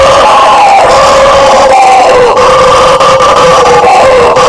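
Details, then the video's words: Brazilian howler monkey (bugio) vocalizing: a powerful, unbroken roar with rough droning tones that waver slightly and bend downward now and then, loud throughout. "SOM DO MACACO BUGIO, Barulho de Bugio!"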